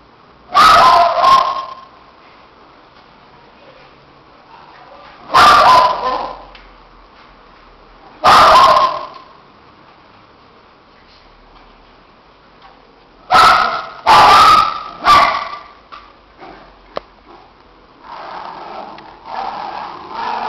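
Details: Two shih tzus, Neca and Ziggy, playing so hard they end up disheveled; sharp, high yappy barks in short bursts, single and double, spaced a few seconds apart, with quiet gaps and softer rustling near the end.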